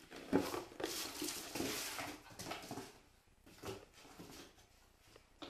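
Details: Cairn Terrier whimpering: a few short whines in the first two seconds among broadband rustling bursts, then quieter gaps broken by brief noisy pulses.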